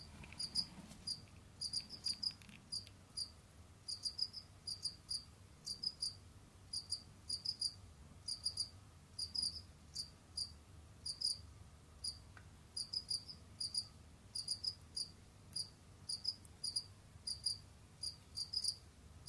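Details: Captive Jamaican field cricket calling indoors: evenly spaced high chirps, mostly two or three pulses each, about one to two per second, with a brief low rustle near the start and a quiet hum throughout.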